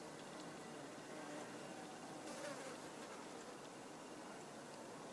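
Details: A buff-tailed bumblebee visits Hibiscus rose mallow blossoms, giving a quiet, continuous droning buzz that grows slightly louder near the middle before settling back, set against a gentle broadband background hiss.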